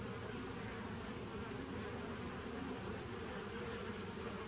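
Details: Steady droning of honey bees from a nucleus colony begun in 2017, captured 27 September 2018; a thick, even buzz with deep tones and light hiss above.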